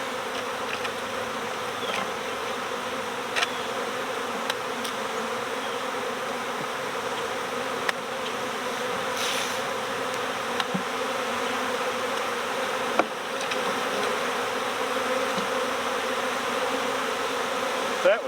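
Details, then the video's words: Swarming honeybees that escaped their hive and are being collected next door keep up a loud, even drone of many wingbeats, with scattered faint ticks over the constant hum. "My Bees Swarmed!"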